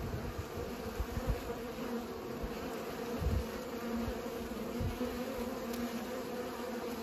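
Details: Pollinating bees give a constant buzzing drone with a few low thumps and bursts as individual insects pass close.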